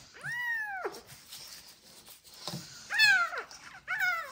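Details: Sick kittens, abandoned in a box on the street, learning to feed from a bottle; several loud, arching meows falling in pitch, one long at the start and two more near the end, with soft rustling between.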